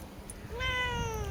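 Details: Domestic cat giving a single drawn-out meow, rising at the start and then sliding slowly downward, with clear tonal harmonics over a low background rumble.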